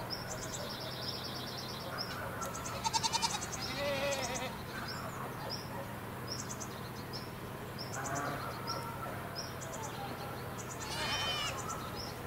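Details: Free-roaming stray goats above Sasa utter several short, quavering bleats at intervals, over a constant backdrop of rapid, high-pitched chirping pulses repeated throughout.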